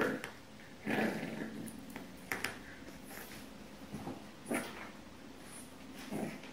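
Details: Pixel, a 10-week-old French Bulldog puppy, tries to win back his bed from a cat indoors, giving short growls and soft whimpering yips spread across the clip, with rustling and bumps between them.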